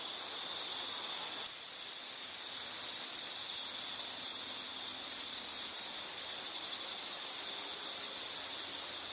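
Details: Insects trilling in a steady, high-pitched band that runs without a break. A louder, brighter chorus takes over after the first second and a half.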